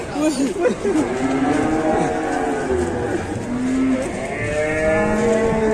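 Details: Agitated cattle unloading from a truck give a series of moos: a wavering call, then sustained lowing that dips and rises, ending in a higher, stretched bellow, with a low engine rumble and brief human voices.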